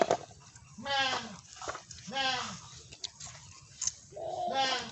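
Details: Goat giving three drawn-out, nasal bleats roughly a second apart, each with a rich harmonic tone that rises then falls in pitch, over low steady background noise.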